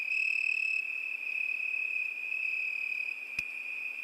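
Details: Crickets singing on a summer night: an unbroken, high, steady trill holding one pitch, with a fainter higher tone layered over the first second and a single sharp click near the end.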